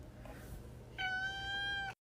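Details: Domestic cat indoors, suspected of trying to get into a drawer, utters one steady, flat, nasal meow lasting about a second over low room rumble.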